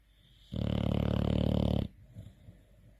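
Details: Tired bulldog sleeping peacefully and snoring loudly: one long, rough, buzzing snore of about 1.3 seconds, low and droning with a rattling texture, in a quiet indoor room.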